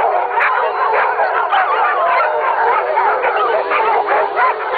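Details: Dogs howling as a pack, a dense chorus of wavering, sliding tones from many voices at once, steady and unbroken throughout, with the occasional yip breaking through.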